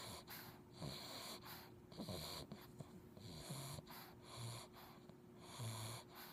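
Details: Chunk, an English Bulldog puppy, snores while passed out asleep, wiggling his toes; low, rasping, wheezy breaths repeat about once a second.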